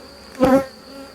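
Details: Honey bees on a hive frame during the successful rescue of a drone-laying colony, with capped brood showing the queen is laying. A bee's low, harmonic buzz swells up close for a moment above the constant hum of the hive.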